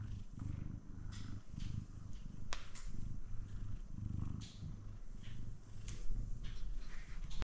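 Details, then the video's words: Male F2 Savannah cat purring very close, a continuous low rumble pulsing with each breath, overlaid by soft crackling and rustling handling noise. "Up Close And Personal Meows And Purrs From Sweet Savannah Cat"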